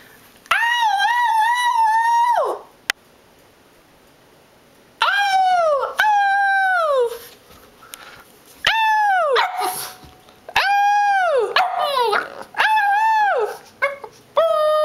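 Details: Boston Terrier singing along with his owner: a series of drawn-out, tuneful howls that rise, hold and fall in pitch, about six bouts separated by short pauses, with some softer whining between them.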